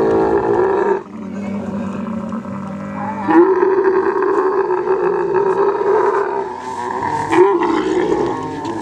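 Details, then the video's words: Kharai camel, a unique swimming camel breed from the coastal belt of Kutch district, Gujarat, during mating; a loud, rough, continuous droning roar with gurgling overtones, briefly dropping near one second then swelling again, with no other clear sounds. "Kharai camel mating (Kutch-Gujarat)"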